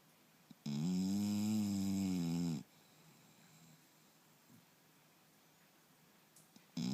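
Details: Sleeping English Bulldog named Turbo in a snoring bout: after a quiet start, a single loud snore of about two seconds, wavering slightly in pitch, followed by several seconds of soft room hush and a new snore starting at the end.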